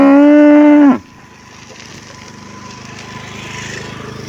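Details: Cow from a thirsty herd in hot weather giving a single loud, flat, harmonic moo of about one second that drops off sharply, followed by low rumbling background noise.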